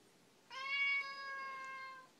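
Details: [1, 'Siamese cat, talkative, complaining about something: one long, loud, steady meow lasting about one and a half seconds, a rich even tone held level, then a soft fade at the end.']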